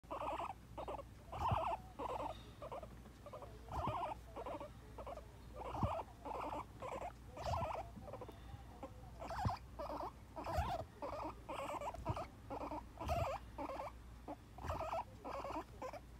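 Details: A pet guinea pig reacting to being touched on a part of the body it dislikes makes a steady series of short, chattering pulses, roughly two per second, with soft patting and handling noises throughout.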